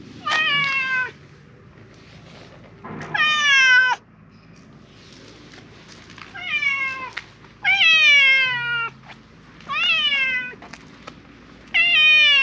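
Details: Silver tabby cat meowing loudly and repeatedly as though pleading for something. Seven clear meows sound roughly every one to two seconds, each one sharp at the onset and then sliding down. The background is quiet.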